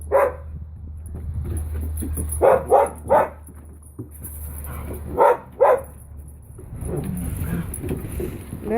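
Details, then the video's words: Playful barking from Finn and puppy Holly at Pawsitive dog daycare: a burst of three quick barks, then two more a couple of seconds later, over a low steady hum and shuffling movement. "Finn and puppy Holly playing at Pawsitive"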